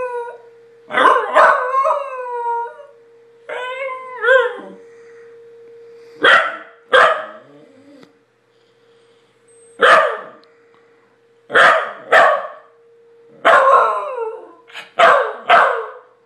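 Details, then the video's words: A corgi howls in wavering, yodelling bursts with yips, set off by the city's monthly tornado siren test, heard as a steady siren tone; Pembroke Welsh Corgi. "Cute Corgi Howling"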